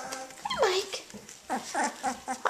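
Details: Australian Shepherd puppies at 18 days old, starting to play, let out a drawn-out falling whimper followed by a run of short repeated yips about every quarter second, with a person's voice faintly in the background.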